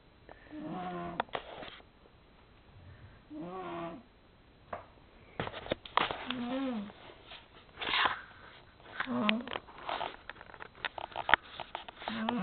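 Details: Darcy, a pet cat, snoring while asleep indoors: a low, buzzy, nasal breath sound with a slight rise and fall that returns roughly every three seconds, separated by soft clicks and rustling in a small room.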